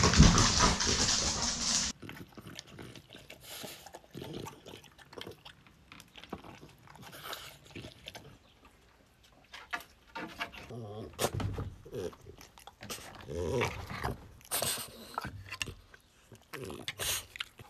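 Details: French Bulldog male seeking to be with his owner, giving repeated snuffling snorts and short grunting bursts, irregular and close, after an opening two seconds of loud broadband rushing noise.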